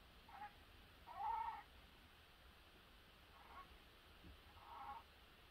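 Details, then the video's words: Phelsuma grandis during courtship: several short, mid-pitched, slightly nasal squeaks, one louder and longer near the start, then two softer ones spaced a second or more apart, over a quiet background. "Phelsuma grandis"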